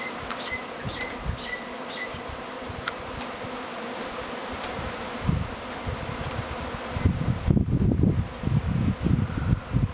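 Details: Honey bee swarm in Tasmania, a week early this year; a steady mass buzzing that later becomes mixed with loud, low rumbling gusts and thumps near the microphone.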